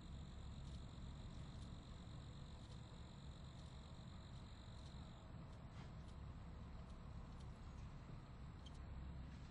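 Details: Crickets giving a thin, steady, high-pitched trill that runs unbroken for about five seconds and then fades, with faint scattered high ticks, over a constant low rumble like distant traffic.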